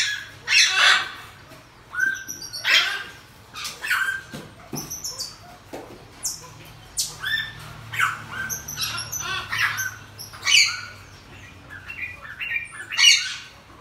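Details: Pygmy marmoset, a home pet that has just had two babies, giving loud harsh squawks mixed with piercing high tonal whistles, bursts spaced about a second apart in a quiet room.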